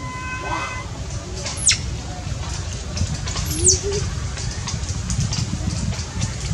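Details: Baby monkey that has lost its mother and is hungry for milk, crying with two sharp, high squeals that sweep steeply downward, about two seconds apart, over a constant low rumble of background noise.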